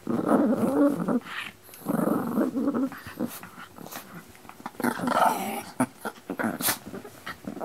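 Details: Pino and Choro, two dogs, growling in a room: throaty rumbling bursts alternating with sharp clicks and thumps, a higher whiny growl near the five-second mark.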